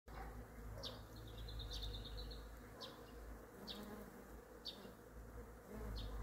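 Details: A bumblebee at work on flowers gathering nectar drones in a low, steady hum, with a bird's thin chirps breaking in now and then.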